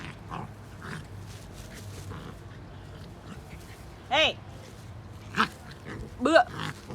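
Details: Big white puppies playing with dogs; three short high whining yelps with stacked harmonics near the end, over low background rumble and faint earlier squeaks.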